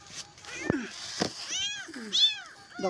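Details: Newborn abandoned kitten crying for its mother during feeding and cleaning; repeated short, high, wavering meows amid clicks, handling noise and a person's voice, with faint music.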